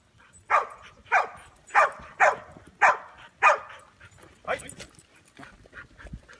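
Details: Ronin, a Chow Chow mix trying his paws at sheepherding, gives a run of six sharp, evenly spaced barks about every half second, then softer, fainter yips trail off under a person's voice.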